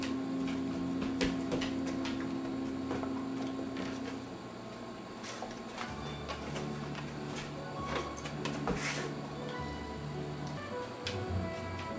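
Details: Music plays with clicks, knocks and faint indoor sounds, with no animal voice heard.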